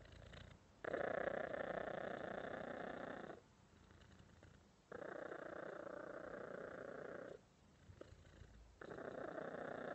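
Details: A cat purrs in loud droning phases of roughly two to three seconds that alternate with softer, lower-level gaps, giving a slow in-and-out rhythm; the background is otherwise quiet.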